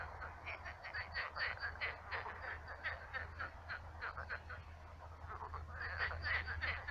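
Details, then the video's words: A chorus of frogs and toads croaks in quick, overlapping rattling bursts over a steady low hum at a shallow pond turned swamp, with birds also singing. "Кваканье лягушек. Лягушки квакают. Ночной релакс"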